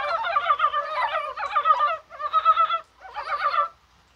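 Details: Dybowski's brown frogs calling on a rainy, spring-like January 21: dense, throaty, rolling croaks in three long bursts, with several callers overlapping before the sound fades.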